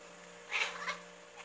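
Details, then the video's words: A tabby cat on the hunt gives a brief, high, chirping cry that rises and falls in under half a second. "My Tabby Cat on the Hunt - making weird noises!!"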